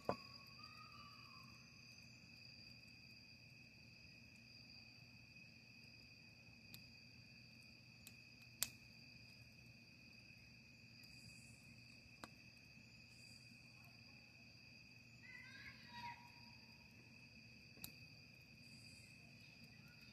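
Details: Cricket chorus around a camping campfire: a continuous shrill, even trill throughout, with scattered sharp crackling clicks and a few brief higher chirps from another animal near the end.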